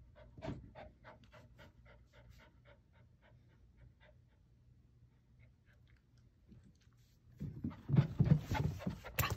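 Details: Ginger, an 11-week-old female puppy learning to climb stairs, pants in quick, even, breathy pulses for about four seconds, then the panting fades and a loud burst of clattering and scuffling noise follows.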